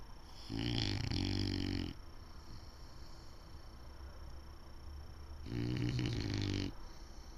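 An English Bulldog snores loudly, each long, rattling, low breath drawn in roughly every five seconds.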